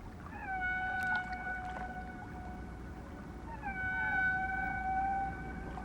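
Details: Whale song heard during a narration about blue, fin and sperm whales that once fed and swam in these waters: two long, steady, tonal moaning notes, each held about three seconds, over a low rumbling background.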